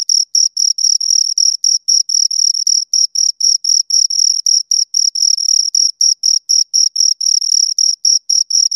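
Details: Close, loud chirping of two crickets by stridulation, a shrill ringing tone chopped into rapid regular pulses near four per second, with no other noise.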